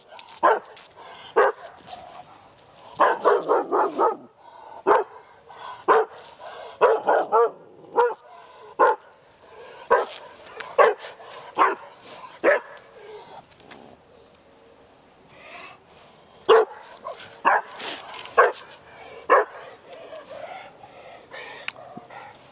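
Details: Ava, an Australian Shepherd in a fear-aggression episode, keeps barking with hackles raised although no one approaches. Loud, sharp barks come in irregular bursts, some in quick clusters, with a quiet pause mid-clip before a final volley.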